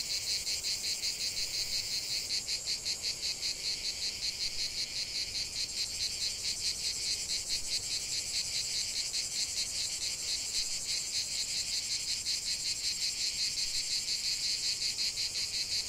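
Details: Chorus of cicadas in a natural setting, an unbroken shrill rasping drone pulsing quickly and evenly, with no other clear sounds over the steady high buzz.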